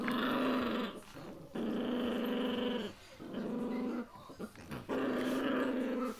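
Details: Puppies growling in their early days, a low harmonic rumble in long sustained bursts of about a second each, with short quiet gaps between them.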